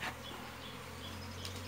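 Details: Colony of Asian honey bees in a natural hollow during honey harvesting, giving a continuous low hum with a broad hiss above it, steady throughout the short stretch.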